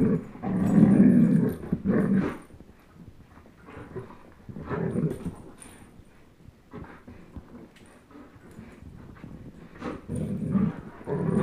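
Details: Two dogs, a 10.5-month-old German Shepherd named Chase and a one-year-old Old English Sheepdog named Blizzard, playing tug of war; low rumbling growls come in bursts, loudest near the start and again toward the end, with quieter scuffling between.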